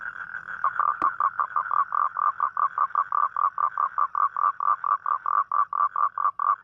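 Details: Toad heard at night, calling for a mate on a rainy night: a brief smooth buzzing note and a sharp click, then a quick regular train of short croaking pulses, roughly four per second.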